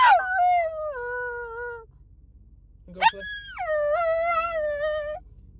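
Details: A tiny, excited Pomsky arriving at the dog park howls twice: long, wavering notes that slide down in pitch, the second higher and longer.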